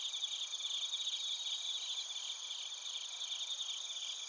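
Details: Crickets and bell crickets in Narita, Chiba, Japan, recorded on a TASCAM Portacapture X8: quick, high, bell-like trilled pulses repeat rapidly over a steady drone of other insects.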